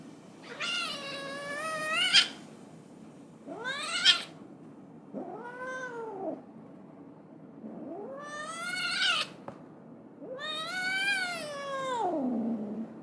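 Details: Domestic cat meowing in a run of five drawn-out, harmonic-rich calls, several rising then falling in pitch, separated by short quiet gaps, with one longer wailing meow at the end; faint low hum underneath.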